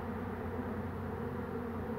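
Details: Honey bees swarming on 2 June 2019, heard as the beekeeper catches the queen by hand. A continuous low, thick buzzing of many wings drones without pause and without change in pitch.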